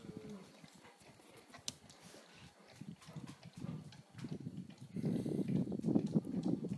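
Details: Old English Sheepdog puppies, two months old, playing in snow for the first time alongside their mother and young half-sister Hannah; quiet scattered scuffling gives way to a dense run of low, throaty grunts near the end.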